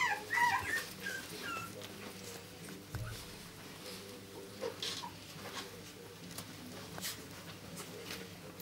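Chihuahua puppies give thin, high whimpers and squeaks, loudest at the start and then fainter.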